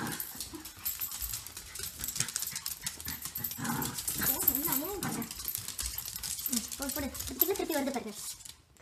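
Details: Pet dogs Grace and Button, a cockapoo and a shih tzu, at play: low rough growling, then a few wavering whine-like sounds near the middle and end, with a person's voice and scuffling throughout.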